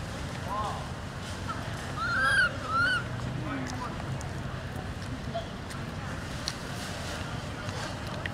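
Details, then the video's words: Newborn monkey crying loudly after being taken by another mother: two loud, arched, harmonic wails near the start of the second half, each rising then falling, over a steady low rumble like an engine. "Newborn Crying Loudly Cos It Was Stolen By Other Bad Mom Monkey"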